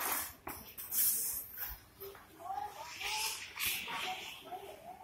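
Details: A cocker spaniel playing with a can cap gives short, high, wavering whines that rise and fall, with hissy background noise.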